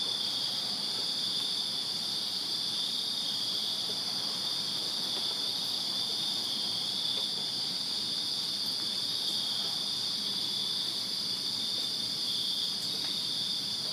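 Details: Summer-night crickets in a Virginia backyard keep up a seamless, piercing high chorus, evenly loud from start to finish, with a faint higher shimmer and a few tiny ticks over quiet low background noise.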